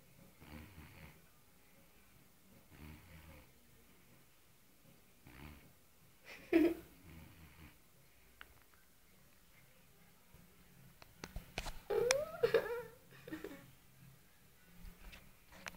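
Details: Sleeping fat white male cat snoring really loud, with rough nasal breaths repeating about every two and a half seconds, then a cluster of louder snorts and rustling sounds toward the end.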